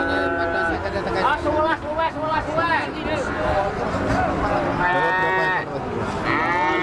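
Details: At the Arena Payu livestock market, an eight-month-old Limousin gives several higher, wavering moos in quick succession, heard among loud overlapping human voices and general market noise.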